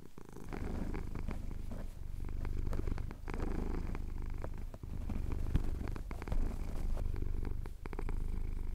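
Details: Close, loud purring by a male house cat as his chin is scratched at dawn over the Cotswold hills, Tascam DR-07X recording; a strong, even low rumble broken by short dips at each inhale, with small clicks of movement.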